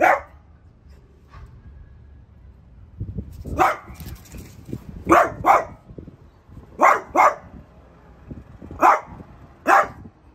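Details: A French Bulldog at home barks at a newly arrived artichoke plant: a single sharp bark, a pause, then scattered loud barks, some in quick pairs, about eight in all, with faint rustling and shuffling between them.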